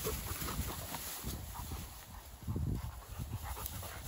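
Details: Pair of Dogo Argentino dogs at play outdoors, breathing in quick, harsh panting puffs that swell and fade, with low thumps of movement and a steady high hiss in the background.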